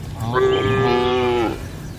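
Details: A single sustained moo from cattle in a shed at night, level and about one second long, strongly harmonic and ending with a slight drop.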